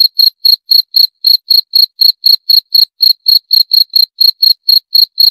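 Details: Cricket chirping steadily, about four short high-pitched pulses per second, evenly spaced and unbroken across the whole stretch, with a clean, quiet background and no other sounds.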